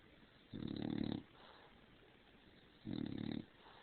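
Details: Female dog snoring loudly after crawling under the covers and getting overheated, then poking her head out; two harsh, rattling, wheezy snores, each about half a second long, roughly two seconds apart, quiet room between.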